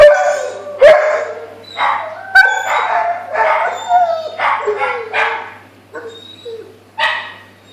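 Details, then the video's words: A Rottweiler gives a run of short, wavering, harmonic howls, each rising and falling, in ritual howling in response to a passing ambulance siren. "Rottweiler howling to ambulance siren"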